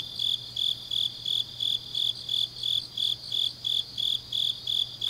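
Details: Grass insects calling in the deep autumn night of Changnyeong, South Gyeongsang, Korea: about fourteen sharp, regular high chirps in five seconds over an unbroken shrill trill, with a faint low hum.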